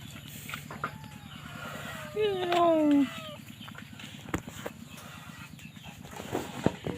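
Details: Kittens crying: a few drawn-out, tonal meows around the middle, each sliding downward in pitch, over a steady low mechanical hum and faint background noise.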